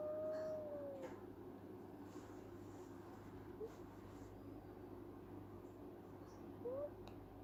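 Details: Sleeping female kitten making funny sounds while dreaming: a drawn-out level mew that sags slightly at the start, then two brief upward chirps later, with a constant low hum.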